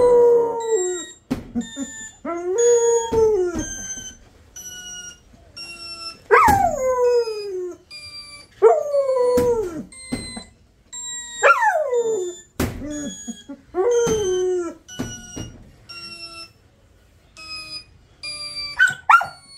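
A Labrador puppy gives a series of wavering howls that rise, then slide down, with brief pauses between.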